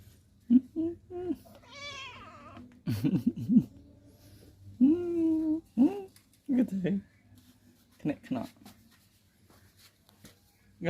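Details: Cats playing in a front yard, with drawn-out wavering meows and caterwauls near two and five seconds, mixed with a person talking and laughing throughout.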